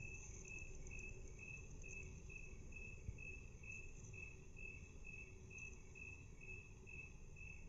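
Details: A cricket's chirps, played at half speed, form a regular train of short pulses about two per second, with a persistent high-pitched tone and heavy low background noise throughout.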